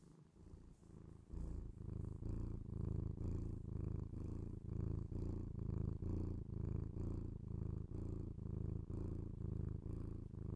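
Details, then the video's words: Domestic cat purring, binaural ASMR recording; a short quiet start, then a steady, deep, buzzing purr beginning after about one second and pulsing rhythmically with each inhale and exhale. "cat purr"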